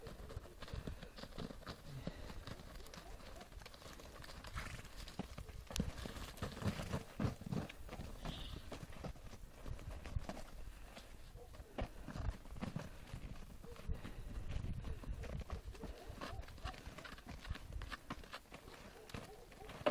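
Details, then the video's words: Galloping horses in snow, with quieter, more distant hoofbeats: irregular soft thumps that come and go, some louder bursts around the middle and near the end, over a low rumbling background. "Galopujące Konie W Śniegu"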